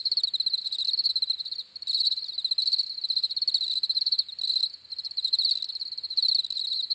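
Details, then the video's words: Crickets chirping in a dense, continuous chorus of high, rapid pulsed trills, steady with brief dips in intensity every second or two, no other sounds. "CRICKETS CHIRPING SOUNDS"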